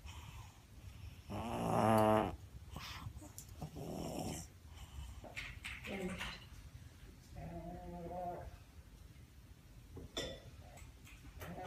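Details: Lola, a six-year-old pug, heard indoors giving a loud wheezing snort near the start, then softer snuffling and a short honking breath later, with quiet breathing gaps between.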